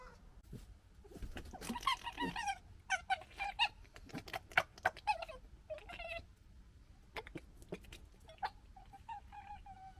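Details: Red foxes fighting and establishing a pecking order, recorded in 2021, give harsh, stuttering gekkering bursts and raspy chattering cries in irregular clusters over ten seconds.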